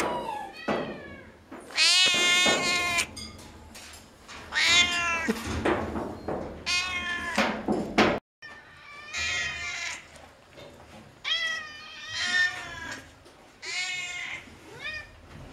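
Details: Several noisy cats at a veterinary clinic, possibly Burmese, meowing and yowling: loud harmonic meows with rising and falling pitch, some long drawn-out wails, repeated in bursts with brief pauses.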